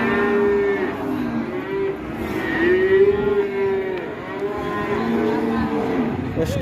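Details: Raging cattle being released, with an old handler scolded by a trader: long, steady lowing tones, several overlapping and drawn out for one to two seconds each, over a continuous murmur of voices.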